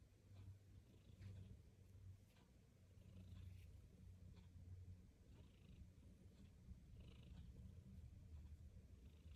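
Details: Domestic cat purring while being stroked, a steady low rumbling purr that pulses with each breath throughout, with faint scattered clicks and rustling above.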